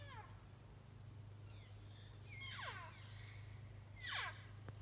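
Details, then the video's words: Elk giving two high squealing calls that slide sharply downward, about two seconds apart, while small repeated chirps and a constant low electrical-sounding hum run through the background. "Elk calls"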